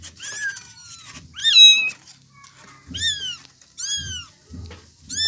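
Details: Kittens of a domestic village cat meowing: about five high, thin, harmonic mews in quick succession, each rising then sliding down, with soft low thumps between calls.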